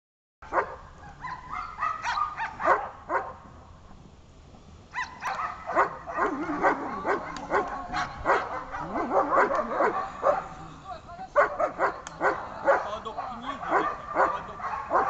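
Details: A German Shepherd barks hard and fast, roughly two harsh barks each second in uneven bursts, during its first protection training session.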